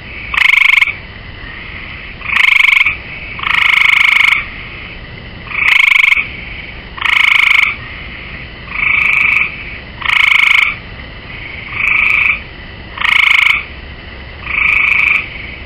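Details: A gray tree frog perched on a swimming pool rail calls over and over, producing ten brief rattling trills spaced roughly every one and a half seconds, each a buzzy pulsed burst. Faint hiss fills the gaps between them.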